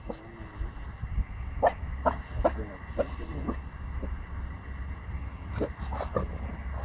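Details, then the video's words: A 14-week-old Pomsky puppy barking at a big dog before running away scared. Short, sharp high yips come in scattered bursts over a steady low background rumble. "Pomsky puppy barking against a big dog"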